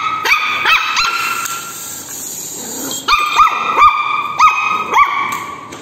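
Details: A Shih Tzu puppy that dislikes a walking toy robot gives sharp, high yapping barks in quick bursts, each with a rising-falling pitch.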